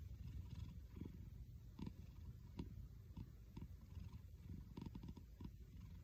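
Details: A domestic cat purring, its purr resembling snoring: deep, gravelly pulses rise with each breath roughly every second, quiet and close.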